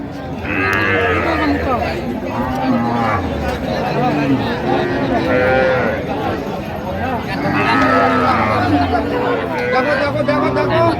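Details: At Raniganj market in Dinajpur on 4 September 2025, among cows brought with their calves, several deep, sustained lowing calls sound beneath constant chatter and shouted haggling of a busy crowd.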